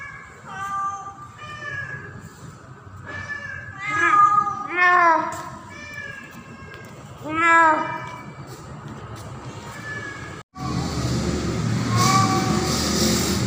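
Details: A female domestic cat in heat during the mating season gives drawn-out, wavering meows, calling for a male cat.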